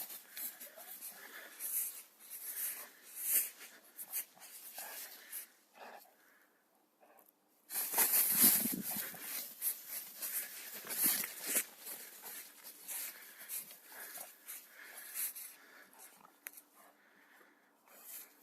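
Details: Staffordshire terrier playing outdoors in nature, giving wheezy, snorting breaths in irregular noisy bursts, loudest around the middle. Quieter stretches fall between them, and rustling handling noise runs throughout.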